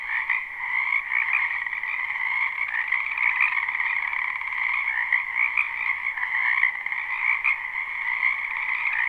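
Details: Spring wetland frogs in full chorus, recorded live with no looping: continuous overlapping croaks form a steady buzzing drone with higher and lower layers, and brief louder croaks stand out here and there.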